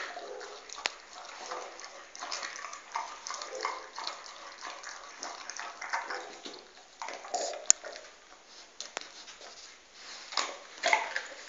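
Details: Household dog eating a bone: continuous crackly chewing with sharp clicks where teeth strike the bone, louder crunches near the end, inside a small quiet room.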